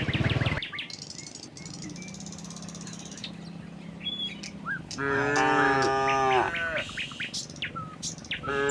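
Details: Herd of tame cattle ambling from the next village toward the pen: a long low hum early, then one loud harmonic moo around five seconds in lasting over a second, with bird chirps, clicks and scattered rustles around it.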